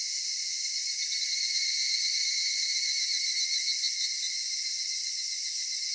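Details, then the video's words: Cicadas on a summer evening in a cedar forest: a dense, steady, shrill droning chorus that holds high-pitched and unbroken throughout, with layered bands of buzzing and no other clear sounds. "夏夕暮れ杉林 セミの鳴き声"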